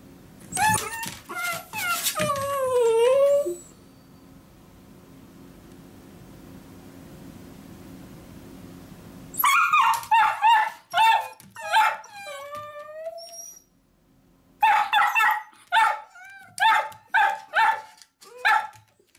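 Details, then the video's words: Miniature dachshunds Choco-chan and Kuu-chan protest as their owner leaves for work, wanting to come along: high, wavering whines that fall in pitch for three seconds, a long quiet gap, then bursts of sharp yapping barks mixed with whimpers. "ミニチュアダックスフンド 犬 鳴き声 私も行く！Miniature Dachshund dog barks I also go!"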